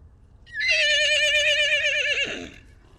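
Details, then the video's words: Salt River wild horses, Arizona: a baby horse separated from his mother gives a strong, vibrating whinny of nearly two seconds, steady then dropping and breaking into a brief falling tail; captured with a long-range microphone. "The story of a baby horse separated from his mother"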